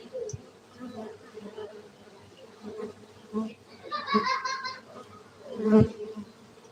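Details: Continuous humming drone of honey bees at a Gayo beekeeping site in Aceh, Indonesia, with intermittent louder bursts and a brief sharp knock near the end.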